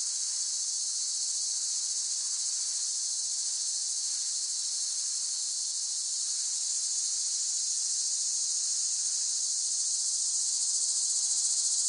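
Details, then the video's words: Cicada drone, a steady hissing high whine held at constant volume with a faint rough undertone beneath; no other animals or voices. "เสียงจักจั่น ฟังเพื่อผ่อนคลาย (Cicada Sound Effects)【セミの声】"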